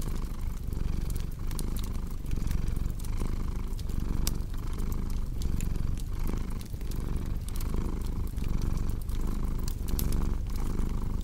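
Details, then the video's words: A cat's low, continuous purr, rumbling evenly with regular breath-timed dips, overlaid by the bright snapping and popping of a crackling fireplace. "Purring Cat"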